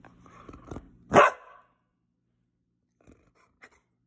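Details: Male Blue Heeler at home talking back and throwing a tantrum at evening feeding time: a low grumbling murmur builds, then one sharp, loud bark, followed by a couple of faint clicks in otherwise quiet surroundings.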